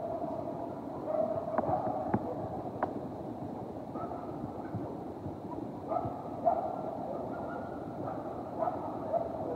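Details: A coyote pack howls close by in a backyard, in long, wavering tones that step up and down over a steady background hiss; the owner woke to the howling and began recording.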